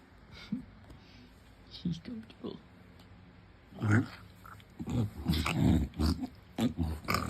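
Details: Pig-like noises from an English Bulldog lying on his back: quiet snuffles at first, then a burst of rapid low snorting grunts, with a person's voice in the background.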